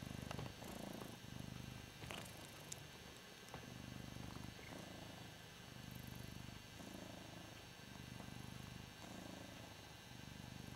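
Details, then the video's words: Hoss, a Ragdoll cat, purring while enjoying being adored: a low, rumbling purr rising and falling in steady swells about every two seconds with each breath, with soft clicks and light handling rustles. "Hoss - the Ragdoll Cat - Purring"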